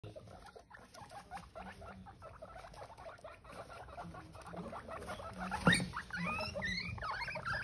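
Guinea pigs giving short, repeated squeaks and chirping chatter with soft low rumbles.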